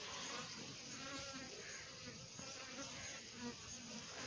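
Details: Honey bees during a home honey harvest fill the air with a steady, low, droning hum of many beating wings.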